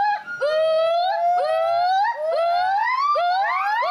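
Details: A captive female gibbon, believed to be the mother, at a gibbon conservation centre in Santa Clarita, California, gives a territorial call of rising, siren-like whoops repeated about once a second.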